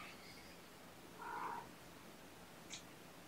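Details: Sleepy, nappish kittens in a gentle wake-up on weigh-in night, 16 June 2018, snuggled up indoors; one soft, brief mid-pitched mew about halfway through, over a quiet steady room hiss, with a faint click near the end.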